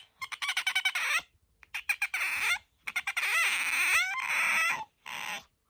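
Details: Pet otter Bingo, whose voice is described as higher than aquarium otters', lets out bursts of quick clicking squeaks followed by sustained piercing squeals that curl upward at their ends, indoors.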